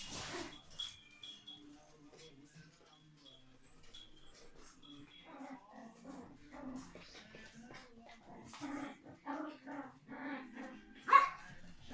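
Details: Puppies run around an indoor puppy room: litters of Biewer Terriers and Biewer x Chihuahuas, a Petit Brabancon pup, and Pip, an older Petit Brabancon. Thin whines and short yips come and go among scuffling and shuffling, with faint human voices.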